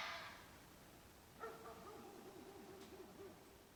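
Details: Red fox during mating season: a harsh, noisy burst at the start, then a drawn-out tonal wail that wavers and trembles downward for about two seconds before fading, with a faint hiss in the background.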